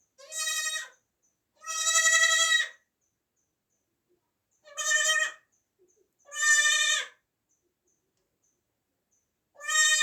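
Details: Newborn kid goat, 2024, bleating loudly in bursts of roughly half a second to a second, five nasal, quavering cries separated by short silences.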